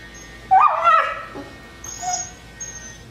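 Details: Twelve-week-old Rhodesian Ridgeback puppy begging for a rawhide held by another dog, giving a single rising, wavering whine that trails off, followed by faint high squeaks in a quiet room.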